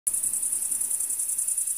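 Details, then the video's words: Crickets chirp in a field in a dense, very high-pitched, continuously pulsing chorus that starts abruptly and runs steadily throughout, with faint low rumble underneath. "Chirping Crickets in Field"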